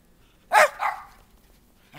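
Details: A Schipperke in a snowy backyard on January 7, 2010, barks at its owner wearing a toboggan hat: a sharp, bright bark, then a slightly longer, softer one, and a faint, brief sound after a short pause.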